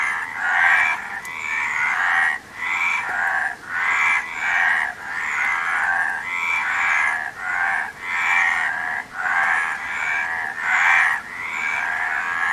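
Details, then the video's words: Frogs croaking in a dense chorus, rasping pulsed bursts overlapping almost without pause, each lasting about half a second to a second and rising and falling in loudness through the stretch. "Frog Sound"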